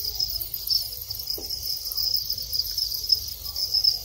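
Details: Male Thai crickets calling at breeding time in captivity, a continuous high-pitched chirring with faint pulsed bursts, plus a single soft tap midway.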